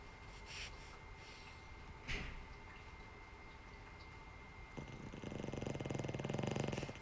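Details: Boston Terrier named Charlie, a flat-nosed dog, snoring: quiet room with faint clicks, then a low, fast-vibrating rumble that swells over the last two seconds before stopping.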